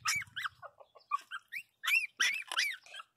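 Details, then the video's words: Pinscher puppy crying loudly indoors, giving short high squeaky yelps and whines with rising and falling pitch, in clusters separated by brief pauses, with a brief low voice at the start. "Cachorrinho pinscher chorando alto"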